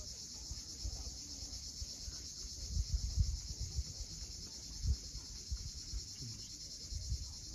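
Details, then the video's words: Crimean coast at sunset, Cape Fiolent: cicadas keep up an even, high-pitched pulsing drone while deeper thumps and rumbles of waves rise and fall below. "Cicadas at sunset."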